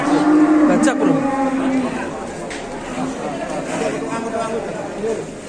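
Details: During the unloading of large cattle in Indonesia, a moo opens the recording and trails off within two seconds, followed by busy chatter, a bang and music.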